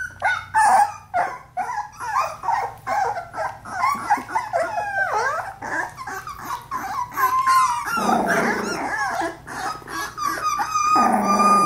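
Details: Playing Australian Labradoodle puppies at four weeks, with a rapid run of squeaky yips, whines and little growls about twice a second, ending in a louder rough growl and then high-pitched whining.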